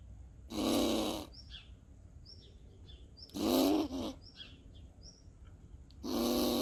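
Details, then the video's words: A seemingly agitated squirrel gives harsh, raspy defensive growls, each under a second, toward the person filming, with faint bird chirps between, in Borken-Singlis, Germany, on 20 August 2021. "Grumpy Squirrel Makes Strange Sounds"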